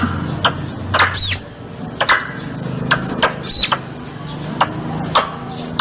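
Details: Squirrel calls used as a hunting lure: sparse, sharp high chirps with downward-bending tails, mixed with loud broadband clicks and a low steady hum underneath.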